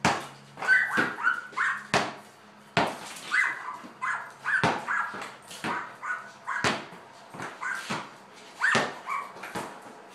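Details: Lady, a border collie, in a garage during a ball game, giving quick strings of thin, eager whimpers and yelps, two or three at a time, between loud smacks of a ball hitting the floor.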